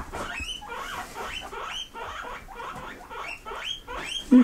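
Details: House pigs kept indoors squeak eagerly in reply to being asked if they want grass: repeated bursts of high, upward-sweeping squeals, several animals overlapping, a man coaxing them to come and get some.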